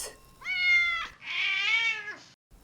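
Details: Domestic cat giving two drawn-out meows, the first about half a second long and the second longer with a falling, whiny end, harmonic and clear; a child-directed voice names farm animals just before and after.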